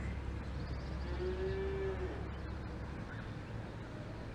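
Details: Cow mooing on an Alpine farm: a single steady, even-pitched low note lasting under a second, set against constant low rumble and faint distant chirps.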